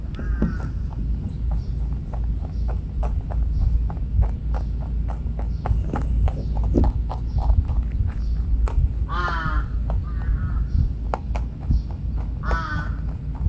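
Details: Rabbit eating on Okunoshima, Rabbit Island in Japan, around midday on 29 June 2022: close, crisp crunching bites repeated several times a second over a heavy low rumble, with a few short harmonic calls from another animal.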